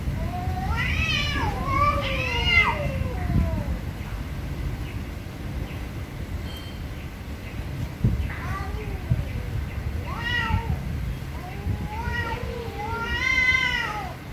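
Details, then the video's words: Very angry cats give loud, bending meows in bursts, two at the start, then single cries and a final rising wail, separated by quieter stretches of low background rumble. "VERY ANGRY CATS||CAT MEOWING VERY LOUDLY"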